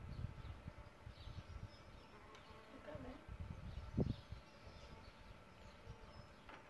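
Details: Solitary bees nesting in a bug hotel, which they find an attractive nest site; a low, rough buzzing hum rises and falls near the hotel, swelling into a brief louder drone about four seconds in, with faint bird notes behind.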